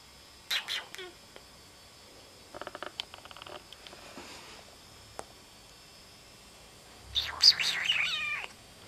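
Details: Pet cat with big eyes, kept as a beloved house animal: a brief high mew near the start, scattered soft clicks and tapping mid-way, then a longer burst of wavering, rising-and-falling high-pitched mewing to close.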